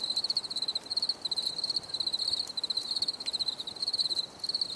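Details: Chirping crickets outdoors, a high pulsing trill broken into regular short phrases, steady and even in loudness, over a quiet hiss.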